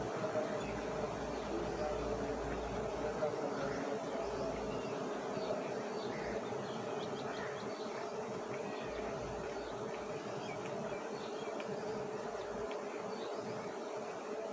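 A steady, dense hum of many honey bees buzzing together throughout.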